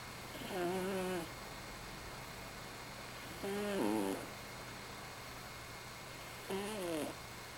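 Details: Domestic cat snoring while asleep at night, as it does every night: three drawn-out, wavering, tonal snores, one roughly every three seconds, each lasting under a second, over a steady low electrical hum.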